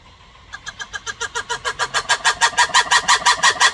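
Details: Black-and-white ruffed lemur calling: a rhythmic series of harsh, broadband pulses starting after half a second, about three per second, growing steadily louder and more intense toward the end.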